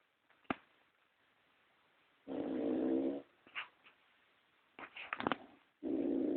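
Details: A pet pug snoring: long rasping, rattling snores about a second long, separated by quieter snuffles and brief sniffing sounds, recorded in a small quiet room.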